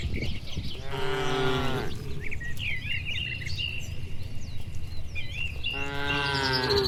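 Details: On a warm evening a herd of several dozen cattle heads home along a tree-lined village road toward the shed. Two long, low, droning moos sound at the start and the end, with birds twittering in between.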